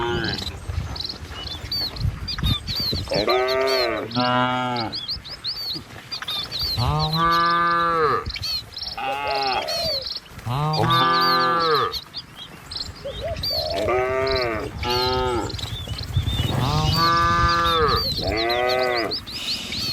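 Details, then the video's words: A herd of cattle moving calmly down a village road between trees and rice fields, with a herder driving them: repeated deep moos from several animals, often in close pairs, spread across twenty seconds, with chirping birds and low footsteps throughout. "Suara Sapi Moou Sepanjang Jalan Desa"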